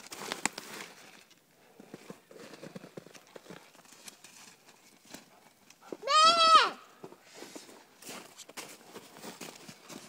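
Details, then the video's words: Spencer, a young male Airedale Terrier, bays at a squirrel pelt he has treed in a back yard: a single strong, arched, harmonic howl of about half a second, amid footsteps, rustling and quiet human voices. "Airedale tracking and treeing"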